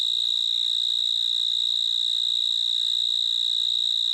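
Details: Cricket chirping as a constant, piercing, high trill at one steady pitch and even loudness from start to finish. A soft low background murmur is present.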